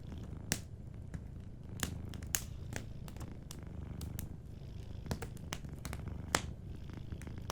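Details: Soft, steady purring from a sleeping cat, a low throbbing rumble running throughout, with fireplace crackles snapping over it every second or so.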